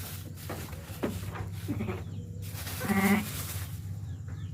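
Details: Sheep during lambing: one wavering, quavering bleat about three seconds in, over a steady low hum and quiet human voices.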